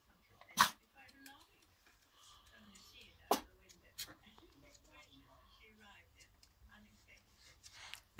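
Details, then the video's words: Miniature Schnauzer puppy barking at nothing: three brief, sharp barks scattered over several seconds beneath a woman's ongoing talk, with low background hum. "Miniature Schnauzer puppy barking at nothing."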